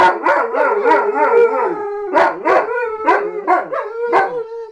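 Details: Two pet German Shepherds howling together, overlapping wavering tonal howls with rich harmonics, rising and falling in pulses, several voices interleaving over nearly five seconds with no other sounds.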